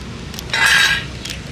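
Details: Ear-tipped stray cats calling in light rainy-season drizzle before being fed; a single short, loud harmonic meow under a second long, with a steady low hum and faint clinking in the background.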